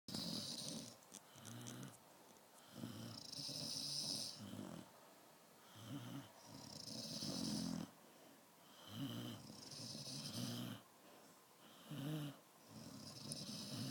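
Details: Sleeping Dalmatian snoring in tune with its owner indoors: rough, rasping snores in bursts about every two seconds, each with a breathy high hiss, separated by short quiet pauses.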